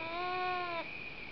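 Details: North American beaver, one of two wild beavers swimming and calling to each other along a cliff shoreline of Slocan Lake, British Columbia; one whining, harmonic call lasting under a second, steady then stopping abruptly, over a constant high hum.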